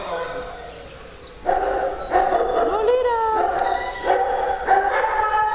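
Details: Dogs at play on a farm, with cats also kept there: high, harmonic howling yips come in about five drawn-out bursts, one sliding upward, while a person greets the dog Buster.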